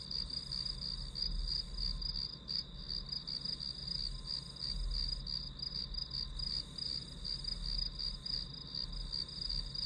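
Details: Grass insects calling in an unbroken chorus of high pulsed chirps, beats running steadily for ten seconds above faint low background noise.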